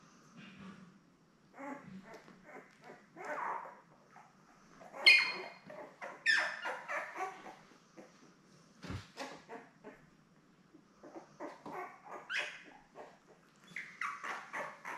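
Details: Seven Labrador Retriever puppies, born May 24, 2021, rest indoors with mother Belle. Short, uneven squeaks and yips come irregularly, about fifty a minute, mixed with clicks, licking and bedding rustle.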